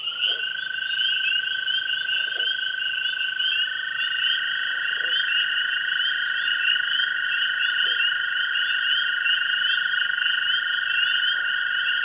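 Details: Spring evening at a pond, with a chorus of tree frogs, spring peepers and green frogs: a sustained, buzzing trill held steady under constant shrill peeping, punctuated every couple of seconds by brief low twangy notes.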